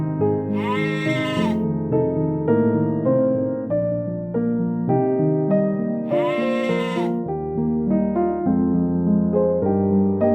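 A mountain goat gives two drawn-out, quavering bleats about five seconds apart, each rising and then sagging in pitch. Gentle piano-like music plays underneath the whole time and is the louder sound.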